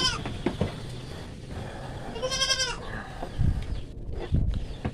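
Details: Native farm goat being given vitamin B complex. One wavering, harmonic bleat comes midway, with thumps, handling noise and a steady low background rumble.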